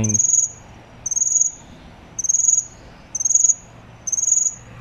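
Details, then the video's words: A cricket chirping in short, very high, pulsed bursts repeated about once a second. Each chirp is a quick rattle of tiny clicks, with a faint low hum in the background. "CRICKET SOUND"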